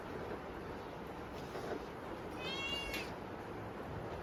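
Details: Kitten meowing from hunger at dinner during a typhoon: a single short, high, rising-falling meow midway, set against constant rainy hiss.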